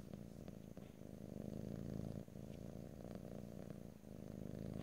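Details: Domestic cat purring close to the microphone, recorded in stereo with no talking; a steady low rumbling purr with rhythmic pulses, swelling and easing with each breath, brief dips between breaths.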